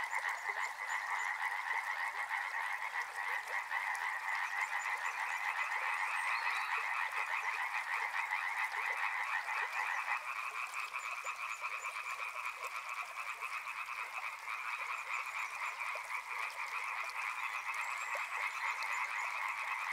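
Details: Continuous rapid croaking from many frogs near a river, a rattling two-toned chorus that shifts slightly higher in pitch about halfway through and stays loud without pause.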